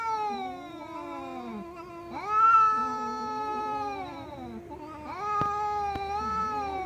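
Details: Domestic cat meowing loudly in long, steady, moaning cries that hold a level pitch after a quick rise, with lower wavering tones between the louder calls.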